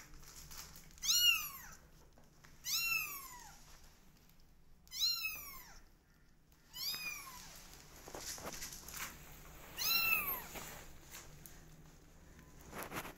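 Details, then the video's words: Kittens twenty days old calling with a run of six shrill meows, roughly one every one and a half to two seconds, each a bright rising-then-falling wail, the later ones a little fainter. "Meow Cat Family Is 20 Days Old Now Cutest And Loudest Cat Family"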